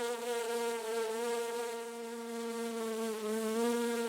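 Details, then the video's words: Short stretch of a bee buzzing as it hovers among garden flowers: a constant low drone with layered overtones and a slight dip in pitch partway through. "BEE SOUND"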